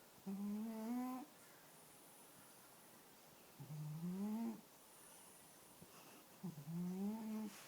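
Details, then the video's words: Black and white cat named Ning, sleeping indoors beside a person, snoring in three drawn-out, low, slightly rising droning breaths, each about a second long and coming roughly every three seconds, with quiet pauses between. "Black and White Cat Snoring"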